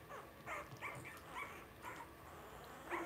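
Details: Blenheim Cavalier King Charles Spaniel puppies from a litter of five, born at New Year's, in an indoor home puppy pen: short, high, squeaky whimpers and yips come in about five separate bursts across three seconds, some rising then falling.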